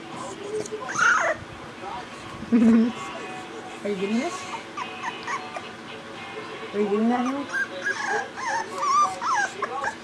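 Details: Boxer puppy whimpering in short, high, wavering whines that rise and fall, several bursts spread through the stretch, with people talking close by and faint music underneath.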